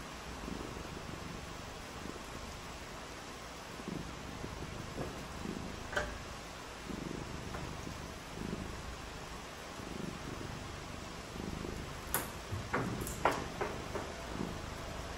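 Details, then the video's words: Domestic cat on a rainy day, when the cats are playing in the rain, purring in a steady low throb that pulses about once a second over constant hiss, with a few sharp clicks and taps near the end. "RAINY DAY WITH FUN AND PURRING | CAT VIDEOS"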